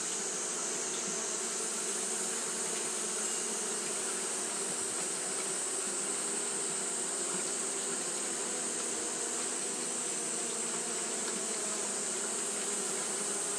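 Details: Japanese honey bees fanning throughout a hot day, giving a long, unwavering low hum of massed wingbeats, with a constant high hiss running over it.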